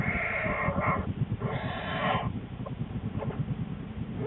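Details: A pregnant female American black bear in her winter den, January 13, 2013, shortly before giving birth to two cubs, gives hoarse, bleat-like moans over a steady low rumbling grunt.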